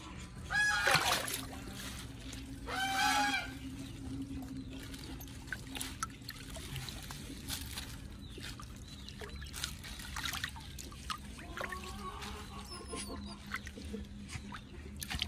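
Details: Titi, a pet otter, calls out after being petted, wanting tasty fish: two loud, harmonic squeals with rising and falling pitch open the recording, followed by fainter chirps, rustling and small handling noises.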